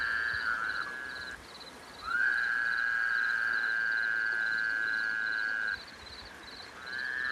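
A frog gives a long, steady, high-pitched scream, held for several seconds with a clear tonal ring.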